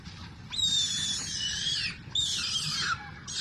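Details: Little monkey crying and making noise, addicted to milk: two long, shrill, wavering screams, the first about one and a half seconds, the second shorter, with the start of a third at the end.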